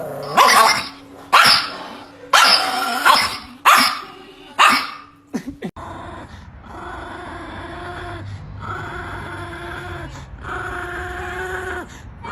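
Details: Chihuahua giving a burst of about six sharp, high, yapping barks spaced roughly a second apart. Steady tonal music then takes over for the second half.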